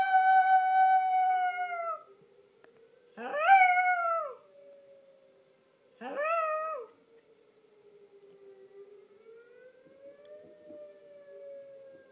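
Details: {'caption': 'Yorkshire Terrier Hershey sings along to the monthly tornado siren. A long steady howl is followed by two shorter howls that rise sharply and then sag, each about three seconds apart. The faint siren rises and falls beneath them.'}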